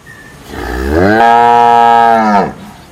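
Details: Cow mooing: a single long, loud moo that rises in pitch at the start, holds steady and rich in harmonics for over a second, then drops away; quiet background otherwise.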